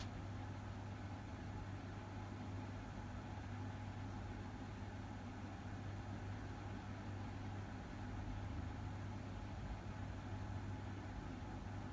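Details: A steady low mechanical hum like an idling engine fills the whole stretch, with no animal voice.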